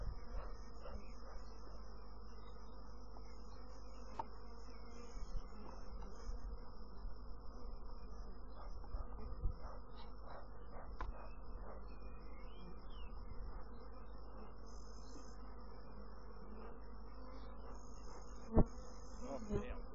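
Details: Honey bees making a dense, steady buzzing hum with layered low drones, broken by scattered soft clicks and taps, with a faint thin high whine running through.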